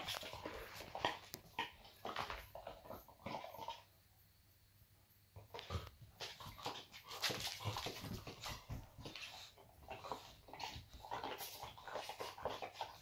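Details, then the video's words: Talkative boxer dog indoors, one of a pair of playful pets, giving broken whiny vocal bursts and short yips, falling silent for about two seconds midway, then resuming with irregular moaning whimpers in a small room. "What she Sayin? Boxer Dog Talk"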